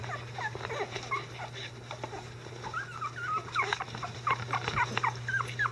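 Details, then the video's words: Litter of 11-day-old Icelandic Sheepdog puppies getting vocal: quieter scattered thin squeaks and whines, short wavering calls overlapping irregularly over soft rustling and a constant low electrical hum. "11 Day Old Icelandic Sheepdog Puppies"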